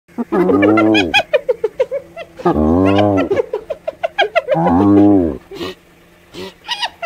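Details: Hyena laughing by a riverside in daytime: three loud, drawn-out, harmonic cries of about a second each, rising then falling, with rapid staccato yelps and short bursts in between.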